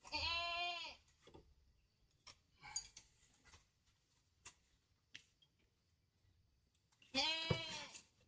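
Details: Goat bleating: a loud, harmonic, wavering bleat of about one second opens, soft clicks and small rustles fill the middle, then a second strong bleat near the end, heard indoors.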